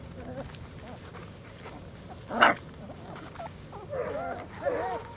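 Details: Four-week-old German Shorthaired Pointer puppies outdoors for the first time: scattered thin whines early, one sudden loud burst near the middle, then a cluster of curling, yelping squeals toward the end.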